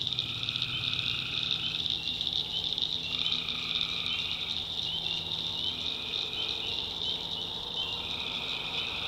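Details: Tree frogs calling at night in a swamp in the backwoods of North Carolina: a dense, unbroken high trilling chorus with a steady shimmering pulse and a few lower overlapping trills, insects possibly mixed in.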